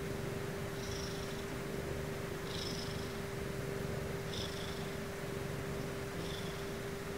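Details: Sumomo, a pet Ragdoll cat, purrs steadily at bedtime while settling to sleep: an unbroken low rumble, with breathy hissing puffs roughly every two seconds over a constant faint indoor hum.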